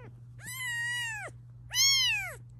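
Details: Two long, loud meows, nasal and strongly harmonic, the first drawn out and level, the second rising then dropping. A mother cat protests while her kittens are being filmed. Low background hum.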